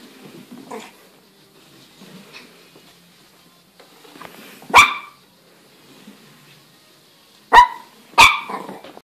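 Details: Shih Tzu puppy confronting a walking stick, giving sharp, high, harmonic barks: one near the middle, then two close together toward the end, with soft scuffles and small noises between them indoors.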